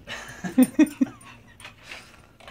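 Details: Dog having zoomies indoors gives a few short, sharp barks in quick succession, followed by quieter rustling and movement sounds.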